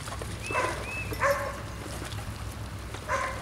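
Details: Biscuit Bentley puppies at playtime give thin, high whimpers and short yips, a few drawn-out whines that rise and fall, spaced irregularly over a low steady background hum.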